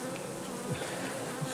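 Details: Honey bees at an apiary where colonies and honey-filled combs are for sale: a steady, dense, low droning hum of many bees, unbroken throughout.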